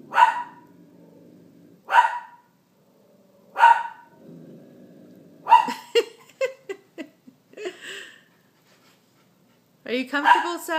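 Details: Bernedoodle puppy named Sasquatch barking indoors: three sharp barks about every two seconds over low murmuring, then a stretch of speech and a final burst of voices and a bark near the end.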